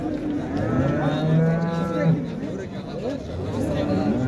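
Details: Cows with calves offered for sale at the Şarkışla livestock market, Turkey, on 24 February 2024: a low, drawn-out moo swells and fades over about a second amid a steady murmur of crowd chatter and market bustle.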